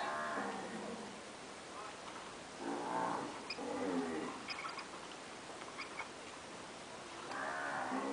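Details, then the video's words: Nelore cows that have calved, standard registered stock, lowing in a few spaced, harmonic moos at the start, middle and end, with quieter gaps and faint high clicks between calls. "Vacas nelore padrão (POs), paridas."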